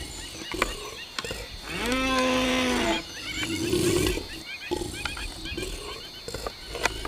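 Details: Two deer fighting in the wild: a loud, harmonic bellow of about a second rises and then holds steady, with sharp clacks before and after and quick high twittering calls in the background.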